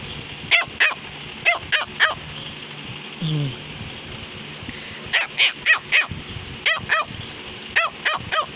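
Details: Cavalier King Charles Spaniel named Samus barking to tell her owner something: sharp, bright barks in bursts of three to five, about four a second, with a short whine near the middle and a soft room hum behind.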